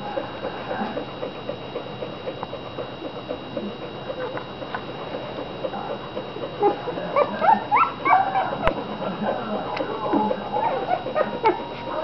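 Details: Fifteen American Bulldog puppies from two litters, four of them about five days younger, eating and sleeping together; busy overlapping soft squeaks and whimpers, some rising high-pitched cries toward the end, over a steady background hum.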